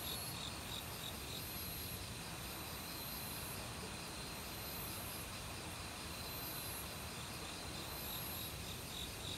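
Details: Forest crickets in autumn calling among many other insects, their high rhythmic pulses riding above the broad constant roar of a nearby mountain stream.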